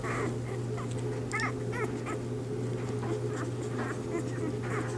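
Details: Brief chirping squeaks from newborn Bernese Mountain Dog puppies, in their first days after Bear's delivery, come as quick paired notes, dimmed by a rustling, humming indoor background.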